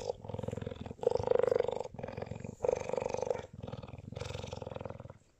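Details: A cheetah in South Africa, being kissed and petted by its owner, gives a deep, continuous purr, a fast throbbing rumble through each breath in and out, swelling and fading across several cycles with brief pauses.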